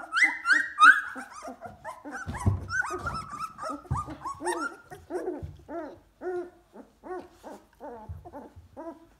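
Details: A two-week-old litter of Golden Retriever puppies, moving about on wobbly legs in the whelping box, whine and squeal in a busy, overlapping chorus of high, wavering cries.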